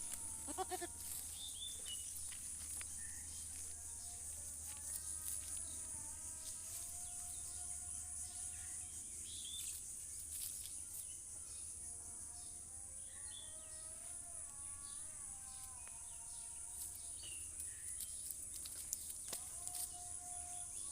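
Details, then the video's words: Goats bleating repeatedly, with many short harmonic calls that often rise in pitch and overlap through the recording, over a constant high-pitched hiss and a low hum in the first part. "Funny goat sound"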